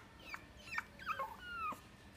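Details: Chihuahua × Papillon mixed-breed dog at the Inu no Ie pet shop, Kohoku branch, giving thin, high whimpers that slide downward, about four short whines within two seconds over a quiet room background.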